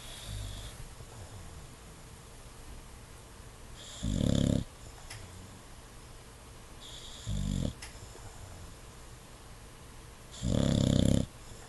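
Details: Indoors, an English Bulldog sleeping with its eyes open snores three times, deep rough rasping bursts spaced about three seconds apart, the last one longest, with faint breathing in between.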